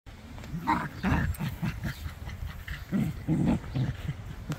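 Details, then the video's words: Welsh Corgi named Indiana playing tug with her sister Montana, a Clumber Spaniel; low rumbling growls in short bursts over about four seconds, rising and falling in loudness, with a few higher yelping notes. "Corgi & clumber Spaniel playing tug."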